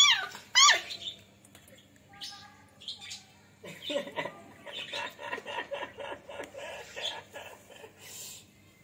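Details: Two playing puppies, a Beagle named Jerry and a Labrador, give a pair of sharp, high yelps at the start, followed by softer, rough, muttering noises and rustling indoors.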